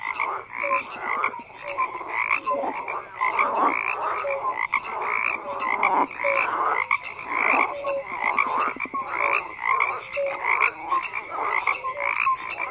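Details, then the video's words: A chorus of many frogs croaking together, layered rattling pulses and brief whistle-like notes overlapping continuously, loudness rising and falling in waves. "FROGS CROAKING"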